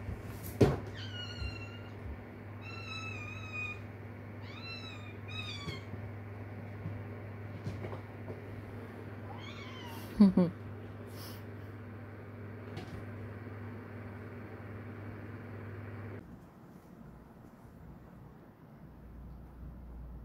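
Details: Stray mother cat Kkandori's kitten calling its mother, repeating short, high, wavering meows several times in the first six seconds, another cry near ten seconds, then quiet, over a constant low background hum.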